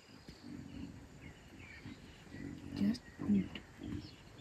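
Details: Chacma baboon alarm calling from a tree in Kruger National Park, South Africa: low, hoarse barking bursts, several in quick succession with pauses between, over faint bird chirps and outdoor background.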